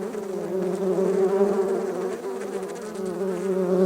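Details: Red-tailed bumblebees from a dug-up ground nest being rescued: loud, continuous low buzzing with strong overtones that swells and wavers in loudness throughout.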